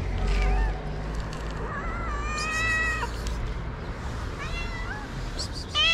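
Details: Hungry stray cat meowing for food early one morning in Morocco; a long, steady, drawn-out meow in the middle, with softer, quieter mews before and after, over a background of low rumble.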